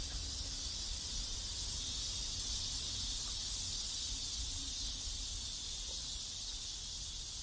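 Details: Cicadas singing in a South Korean neighborhood: a steady, hissing high-pitched drone that holds unbroken for the whole stretch, with a faint low rumble underneath.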